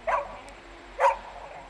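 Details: Beagle playing with a shirt lets out two short barks about a second apart over a quiet background.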